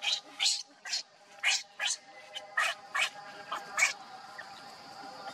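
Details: Shrill, squeaky cries from a hungry baby monkey pleading with its mother for milk, repeated about twice a second and gradually weakening, over a faint steady hum.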